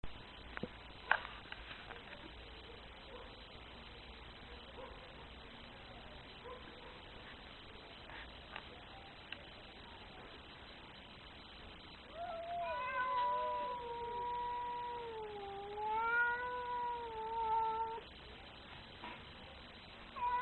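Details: Very angry cat: after about twelve seconds of quiet background with a few clicks, one long wavering yowl rises and dips in pitch for roughly five seconds before trailing off.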